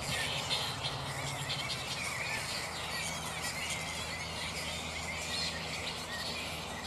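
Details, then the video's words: A mid-morning roost of black flying foxes (Pteropus alecto) still restless: a dense chorus of shrill, crackling squeaks and chattering screeches runs without pause, with a faint low hum beneath. "Black flying fox (Pteropus alecto)"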